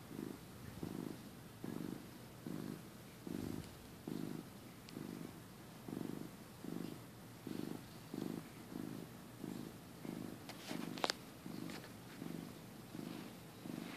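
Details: Sleepy house cat from early 2015 purring through a nap, a low vibrating rumble pulsing in regular breaths, with a brief faint click near the end.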